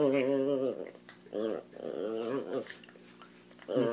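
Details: Jealous pet chihuahua in a small room, upset as a Doberman receives attention: repeated wobbling, moan-like growly whines in short bursts, some rising and falling, mixed with a person's voice and household background hum.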